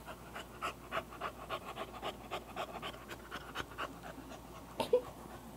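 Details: Excited English Bulldog panting heavily, quick rasping breaths roughly twice a second, ending with a louder snort-like burst and a faint squeak.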